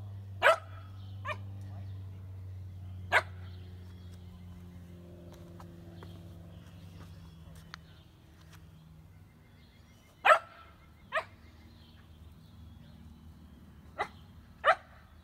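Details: Shetland Sheepdog puppies playing outdoors give sharp, high barks, single or in quick pairs, spaced irregularly over about fifteen seconds, over a steady low background hum.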